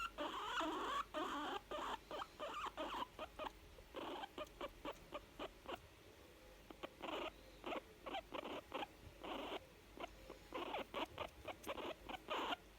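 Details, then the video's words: Young female guinea pig making sounds of contentment, sounding happy: bursts of short, rapid squeaky chutters in quick runs separated by brief pauses, with a few quiet gaps and soft rustling between. "Cute young guinea pig making sound's of contentment"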